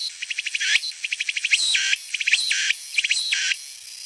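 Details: Meimuna opalifera cicada singing: bursts of rapid, evenly spaced high ticking pulses alternate with loud, sustained buzzy phrases that rise in pitch, the cycle repeating roughly every second, with a steady hissing background.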